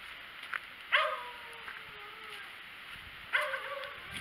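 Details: White cat out in the snow gives two drawn-out meows about two and a half seconds apart. The first is long and slowly falling in pitch, the second shorter, with light rustling between them.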